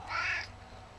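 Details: Clipped, abrupt meow from Gizmo, a talkative male pet cat about eleven years old and somewhat overweight. The call is a brief harmonic burst lasting under half a second, followed by quiet room noise.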